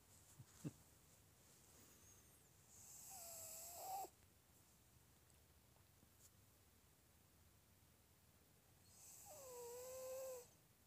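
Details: A sleeping Shih Tzu gives two slow snoring breaths, each a hissy inhale carrying a thin, sliding nasal whistle. The breaths come about six seconds apart, with faint ticks and a quiet room between them.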